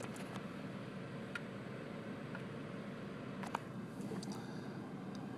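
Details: Steady low indoor hum with a few faint scattered clicks and taps, and no animal voice.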